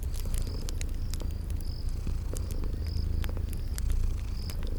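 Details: Continuous deep purr from sleeping kitties, layered with snapping fireplace crackles and thin, high cricket chirps that recur roughly every half second in a calm garden setting.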